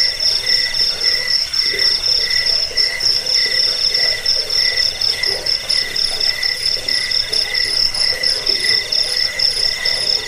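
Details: Crickets calling nonstop in a recording meant to chase off rats, help sleep and train songbirds; layered high-pitched pulsed trills with rhythmic lower chirps in rapid repeated bursts, dense and even throughout.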